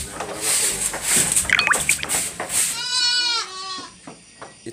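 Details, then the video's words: Anglo-Nubian goat at milking time on a goat farm, a loud quavering bleat in the last seconds, after a stretch of clattering and mixed background noise. "Goat Farming/Milking Time (Anglo-Nubian Goat)"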